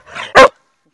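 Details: Red Irish Setter named Muri giving a single loud, sharp bark, preceded by a softer breathy whine-like onset, then silence.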